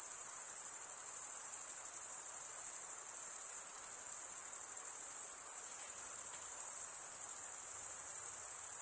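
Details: A dense chorus of crickets holds one continuous, very high, even trill throughout, with slight waves in loudness and no other sounds standing out.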